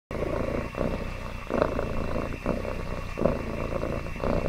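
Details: A happy domestic cat purring up close: a steady low rumbling drone broken by short pauses about every second as the cat breathes in and out.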